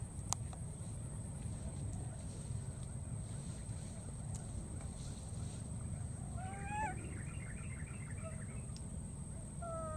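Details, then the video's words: Wild baby monkey crossing water, calling for its friend: after several seconds of low rumbling background noise, a brief burst of high, wavering, squealing calls, with a few thin tonal calls at the very end. "this cute baby monkey keeps looking for and calling for his friend"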